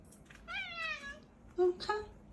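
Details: Domestic cat indoors vocalizing when she wants something, a pretty voice used to chatter at her owner: a falling harmonic meow of about half a second, then a short chirp and a brief second meow, with quiet background.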